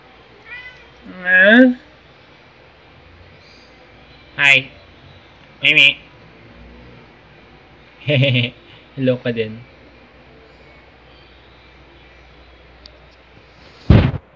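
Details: Pet cats Luna, a black cat, and Angel, a tabby, in footage from late 2018: a series of short harmonic meows with rising and wavering pitch, spaced a few seconds apart over about fourteen seconds, then a sharp sound at the end.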